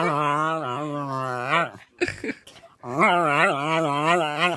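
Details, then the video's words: West Highland White Terrier puppy, a first-place puppy champion in April 2015, making funny noises indoors: long, loud, wavering whining howls with a steady low tone, broken by a short pause of rustling, then resuming. "West highland Terrier funny noises"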